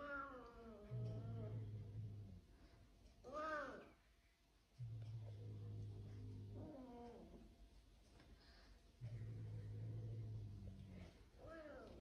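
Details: Domestic cat giving three long, drawn-out meows spaced about four seconds apart. Each is a harmonic wail that bends up and then slides down in pitch, with a steady low hum beneath.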